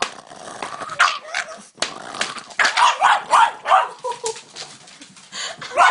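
A Boston Terrier screams in a rapid string of high, strained yelps and barky squeals, each burst rising and dropping in pitch. The outbursts come roughly three a second with little pause between them.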